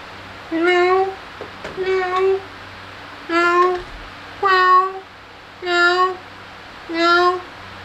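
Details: Kittens at play and feeding indoors: a series of six short, clear, high meows spaced a little over a second apart, each slightly rising then falling, with a soft tapping sound between the second and third.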